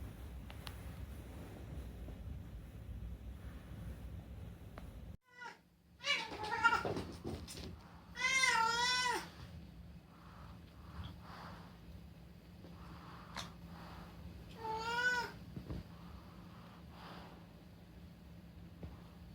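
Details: Unagi, a talkative rescued house cat in Japan, meowing at night during summer holidays; several loud, wavering harmonic meows in a burst mid-way, then a fainter one and a final wobbling meow, with low indoor hum between.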